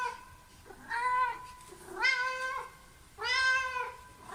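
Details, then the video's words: Three cat meows spaced about a second apart, each steady and fairly flat, with a soft lower sound beforehand and a light hiss of room noise underneath. "Cats Meow 10 Minutes of Cats Making Meow Sounds"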